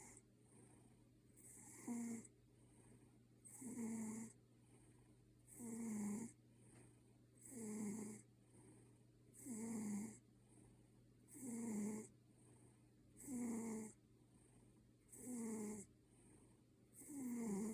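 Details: Ginger Maine Coon cat asleep and snoring like a human: raspy inhaled snores with a whistling tone, repeated steadily about every two seconds, nine in all, over a faint steady hum.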